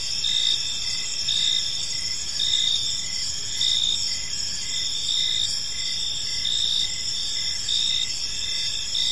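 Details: Crickets chirping on an evening in a peaceful park: a continuous high insect chorus with overlapping pulsed trills, louder bursts recurring roughly every second or so, steady and unbroken throughout, with no other clear sounds.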